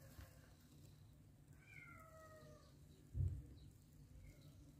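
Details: Mother cat with adopted kittens gives a single soft, falling meow with clear harmonics near the middle, then a faint higher mew; low hum and a brief thump in the background.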